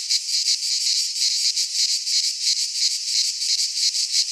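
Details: Cicadas in midsummer among pines in Greece, a piercing, grating buzz that throbs in quick even pulses without pause.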